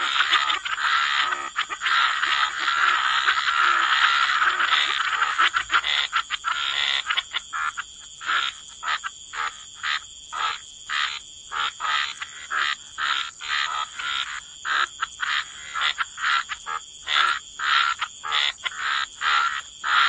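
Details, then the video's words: Chorus of croaking frogs by the waterside, first a thick continuous wall of raspy croaks, then after several seconds a rhythmic series of short pulsing croak bursts, about two per second, over a faint high whine. "Frog Lullaby: Relax to the Sound of Croaking Frogs"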